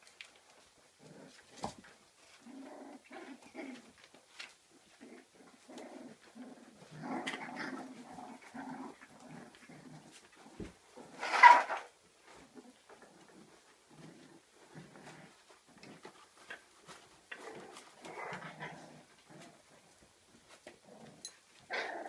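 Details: Kooikerhondje puppies, 34 days old, from a Swedish kennel, playing in their own activity room indoors; soft scattered growls and whimpers with clicks and bumps of play, one louder yelp near the middle.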